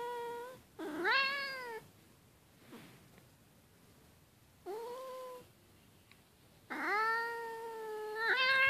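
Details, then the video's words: A house cat, woken from snoring and getting angry, gives three drawn-out, tonal, wavering meows, the first and last long and sliding, separated by quiet pauses in a small indoor room. "From snoring to angry, a cat story"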